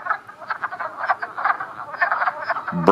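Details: Wood frogs (Rana sylvatica) in a mating aggregation, with several males clasping at one female, around 3 p.m. on April 19 in Montpelier, Vermont: a dense, duck-like clucking chorus of many rapid hoarse chuckles overlapping without pause.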